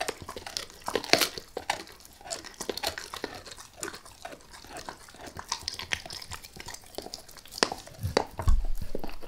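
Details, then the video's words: Max the dog gnawing a beef rib, lightly at first before going all in: irregular sharp crunches and crackles with soft wet chewing between, some louder bites near the end, in a quiet small room. "Max Eats | Beef Rib | ASMR DOG EATING"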